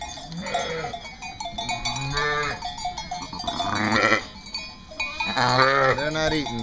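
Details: East Friesian dairy sheep on Karras Farm, North Carolina, bleating in a series of wavering, harmonic-rich cries, four or so in quick succession, over steady background music and a man's voice.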